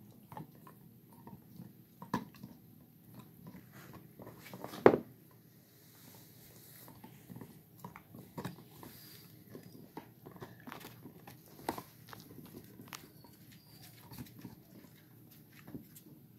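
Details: Gollie puppies, four and a half months old, biting bones indoors: soft irregular crunching and gnawing with a few sharp cracks, one loud snap near the five-second mark, in a small quiet room.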